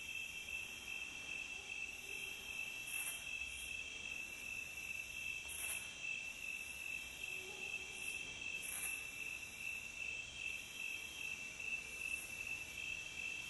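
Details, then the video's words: Calm nature recording of crickets, a continuous shrill chirping held at one high pitch through the whole stretch, with occasional soft higher flickers over gentle background noise. "Calm Cricket Sound"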